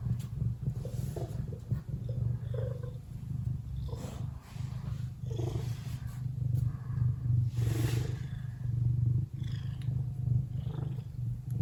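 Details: Lily, a relaxed pet Ragdoll cat, purrs steadily and deeply. The purr is a continuous low rumble that pulses with each breath, with a few brief soft higher sounds over it.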